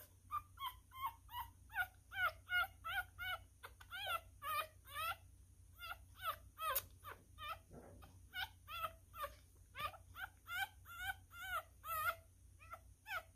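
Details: ['Newborn male miniature schnauzer puppy, a messy eater, squeaking steadily while being fed: a long run of short, high, harmonic squeaks and whimpers, roughly two or three each second, some bending upward, with brief gaps.']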